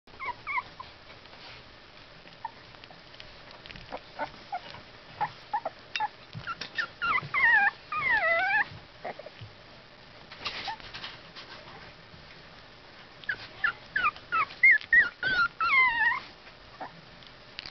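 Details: Two-week-old Basenji (Canis familiaris) puppies from one litter, just starting to open their eyes, give high, thin whimpers that bend up and down, coming in short bursts.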